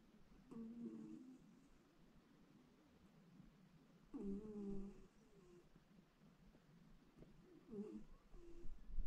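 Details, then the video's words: West Highland White Terrier snoring indoors while working from home, three drawn-out rasping, nasal snores spaced roughly three to four seconds apart with faint room hum between them. "Westie dog snoring"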